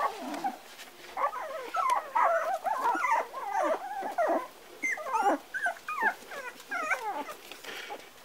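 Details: Four-week-old Parson Russell Terrier puppies whine and squeal in dense overlapping bursts, thin bending whimpers sliding up and down, several pups calling at once.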